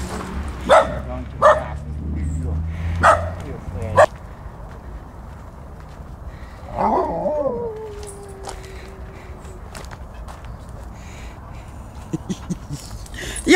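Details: Huskies and Malamutes playing together during morning exercise: four sharp barks in the first four seconds, then a drawn-out, falling, howl-like cry, over steady wind noise with people talking nearby.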